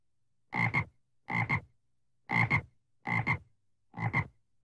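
A frog gives harsh, rasping double-pulsed croaks, repeated a little under once a second against quiet.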